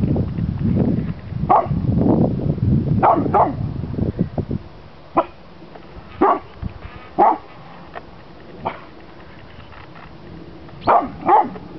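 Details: Chocolate Labrador Retriever, two years old, barking in the snow at a red pizza box; wind rumble at first, then loud single barks and short doubled barks spaced a second or two apart with quiet gaps.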